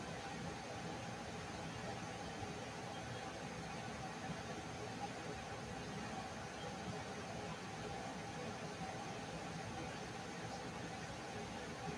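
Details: Steady broadband hum like an air conditioner or distant traffic, with a faint murmur of speech and no animal sound.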